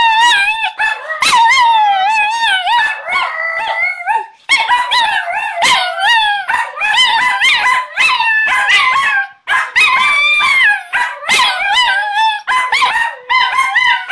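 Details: Pair of Chinese Crested pet dogs, one hairier named Mr. Belvedere and hairless Sprocket, howling along with their owner; continuous overlapping wavering howls with quavering pitch bends, punctuated by short sharp yips throughout.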